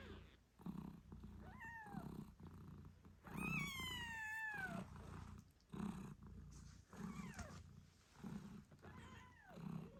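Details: Newborn British Shorthair kittens, eight days old, cry with high bending mews, one long drawn-out call standing out, above the rhythmic low purring of their mother Moon Stone as she nurses them.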